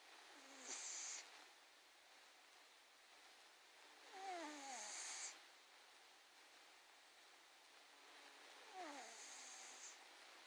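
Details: Ivan, a 21-pound domestic cat, snoring quietly: three breaths roughly four seconds apart, each a falling, whistle-like nasal tone wrapped in a soft breathy hiss, with near silence between them.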